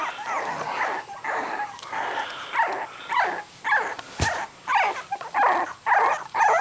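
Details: Three-week-old puppies taken from their mother onto a cold blanket give short whining cries in a fairly steady rhythm, roughly two each second, with one sharp knock midway.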